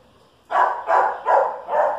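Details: A Chihuahua and a dachshund face off. Four loud, harsh barks follow a quiet start, each roughly 0.4 seconds apart and ringing slightly into the next.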